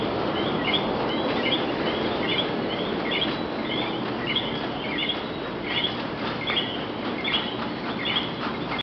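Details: In Puerto Rico, a night chorus of frogs gives short, high chirps over and over against a steady hiss.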